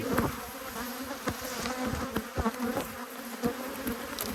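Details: Two hives of honey bees annoyed by an inspection, 5 March 2022, give a dense, even drone of buzzing wings with scattered crackles and ticks from the hive work.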